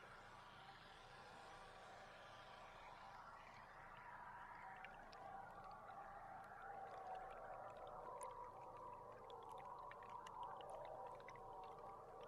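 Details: Belugas recorded below the surface from a tour boat on July 16: a hissy high wash fades into busy chattering whistles and squeaks, joined by scattered sharp clicks, with a low mechanical hum throughout.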